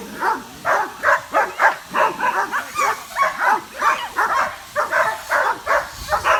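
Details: Curious dogs in a group react to a drone flying overhead, some running around. Sharp barks repeat steadily at roughly three per second for the whole stretch, with a few overlapping yaps.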